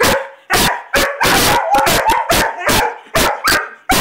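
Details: Two dogs, a Weimaraner and a Vizsla, barking excitedly on command: loud, sharp barks in rapid bursts, about ten in four seconds, some overlapping.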